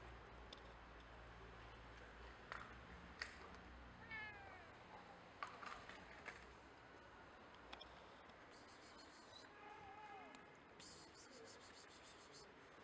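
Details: Stray cats and kittens being fed cat food; several high, wavering meows with clear harmonics come around the fourth second and again near the ninth to eleventh seconds, over a steady low hum and occasional clicks and rustles.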